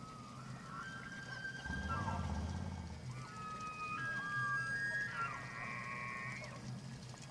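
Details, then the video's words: Elk in rut, Slippery Ann Elk Viewing Area, Montana, evening of 24 September 2024: a chorus of piercing sustained whistles at differing pitches stacks and overlaps, one ending in a stepped rising squeal, over a low rumbling background. "Elk Rut at Slippery Ann"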